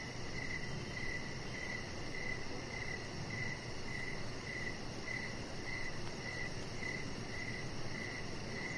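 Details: Evening crickets near a chihuahua puppy on a deck: short bright chirps roughly every 0.6 seconds in an even train, over a broad low hum, with a thin rapid pulsing higher up.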